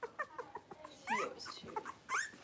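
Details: Soft whimpering from a playing litter of five blenheim Cavalier King Charles Spaniel puppies, aged three weeks, indoors; faint short squeaks, then two clearer rising whines against a hissy background.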